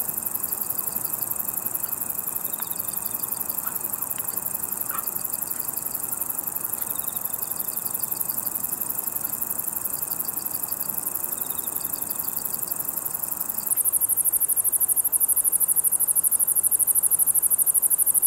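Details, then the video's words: Steady, very high-pitched pulsing buzz of Ruspolia interrupta, a conehead katydid shown in green and brown forms. It grows louder and harsher near the end. Softer ticking trains from another insect come and go underneath. "왕매부리의 노래"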